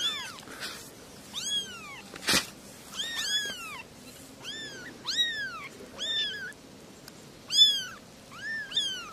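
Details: Three small kittens mewing steadily, piercing downward-curving cries repeated roughly every second, some overlapping, with a brief loud thump near the start of the series.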